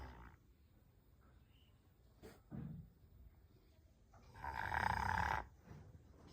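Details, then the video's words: Sleeping Rottweiler snoring softly: a quiet low rasping breath near the third second, then a longer, louder, rough snore lasting about a second, with near-silence between. "Snoring of dog"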